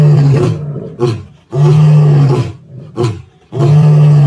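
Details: Male lions at Plains Camp, Sabi Sands, South Africa, on 9 April 2024 roar in deep, powerful bursts, each loud roar followed by shorter grunting exhalations.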